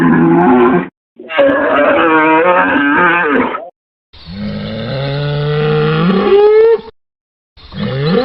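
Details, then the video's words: Cattle bellowing: two hoarse, raspy moos, then a long, deep call that swells and bends upward into a higher wail, with a final rising bellow starting at the end. "BOI BERRANDO | SOM DE VACA | SOM DE BOI | TOURO BERRANDO | BOI MUGINDO | VACA MUGINDO - SOUND OF COW"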